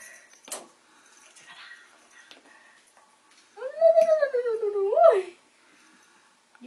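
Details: One of four young Bengal kittens, just past the toddling stage, playing with each other indoors: one long drawn-out meow, wavering, then rising sharply before dropping at the end, after quiet rustling and faint background chatter.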